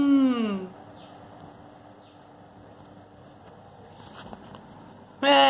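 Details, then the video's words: Kitten named Timmy, protesting at being disturbed during sleep: a short descending meow opens, followed by near silence with a few faint clicks, then another meow starts just before the end. "MEAAAAAAAAAAAA | CAT DON'T WANNA BE DISTURB WHILE SLEEPING"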